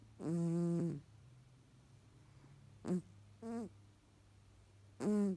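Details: Nasally snoring Tonkinese cat: one long tonal, harmonic snore lasting under a second, then three shorter nasal snorts, the last rising and falling, all over a steady low hum.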